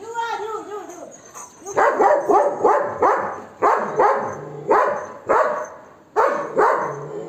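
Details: Pet Golden Retriever Max chases off monkeys with aggressive barking: after a drawn-out tonal whine-like opening, about nine loud, harsh barks follow in a steady run, with a short pause before the last pair.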